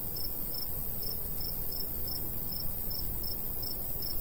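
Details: Summertime crickets beside a golden wheat field in the countryside: a regular train of brief, high chirps roughly every third of a second, with a light breeze rushing low underneath.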